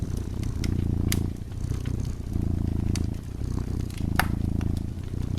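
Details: Dozing cat purring beside a burning fireplace, a steady low rumble swelling and easing in cycles of roughly a second, with sharp crackles and pops from the fire scattered over it.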